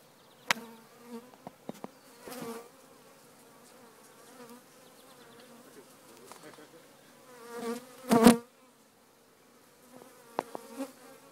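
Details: Honey bees in a hive being removed from a chimney: a steady, droning hum with a low, even tone throughout, broken by sharp knocks and clicks and a loud scraping burst near the end.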